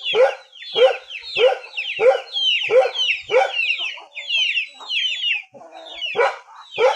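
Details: Dog in a rural area giving short, sharp barks about every seven tenths of a second, each a harsh burst, with thin, high, falling chirps layered over the barking throughout.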